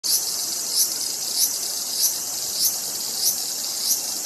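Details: Cicada calling: a dense, continuous high-pitched buzz held steady throughout, with brighter pulses repeating about every 0.6 seconds and no other clear sounds.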